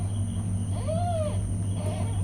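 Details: Mother cat with her newborn kittens; a single arched meow that rises, holds, and falls over about half a second. A steady low hum runs underneath, with a faint second call near the end.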